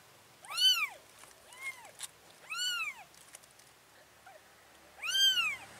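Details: Mother cat carrying her four kittens to a new place, giving a series of four clear, arching meows, each rising then falling, spaced roughly one to two seconds apart, with quiet background between calls.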